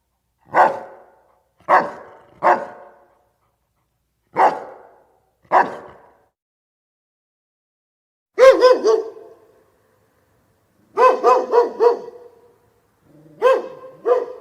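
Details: Dog barking in a loose series: five short single barks about a second apart, then longer whining, yelping bark bursts with higher tonal strands, broken by short silences.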